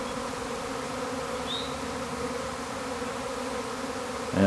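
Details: Swarming honey bees at a hive that swarmed a week before, sounding like a tornado of bees: a continuous thick, even buzzing drone, with a short bird chirp midway and a louder bump at the very end.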